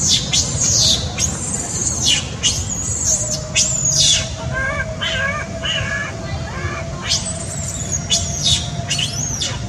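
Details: Baby monkey Sweet Pea crying loudly, angry at his mother and screaming to nurse: shrill, piercing squeals in repeated bursts, some sharply falling, others wavering and broken, with short gaps, over a steady low background hum.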